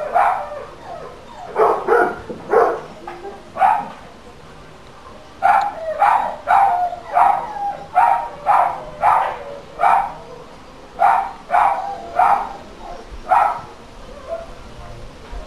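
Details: Dog barking as a noise nuisance, captured for local council monitoring: a long, fairly steady run of repeated sharp barks, roughly one every half second to second, with a few short pauses between bouts.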